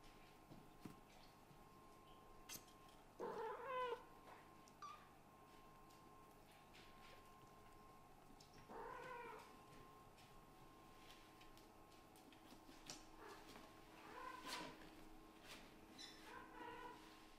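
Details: Kitten of a Scottish Fold and British Shorthair family meowing to be spoiled by its mother, a blue tabby Scottish Fold, indoors; several short rising meows spaced a few seconds apart over a quiet room background.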